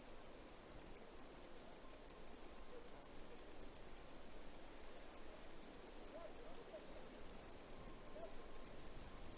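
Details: Shrill cicada pulsing, high and evenly spaced at several beats per second, with a few faint short chirps lower down and quiet background noise.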